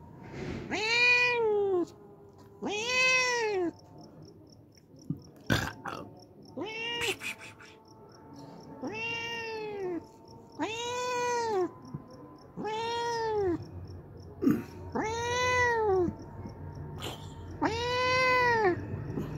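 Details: A hungry homeless cat that comes every day to drink milk gives about nine loud, drawn-out, arching meows, one roughly every two seconds. Background music plays, with a few spoken words between the calls.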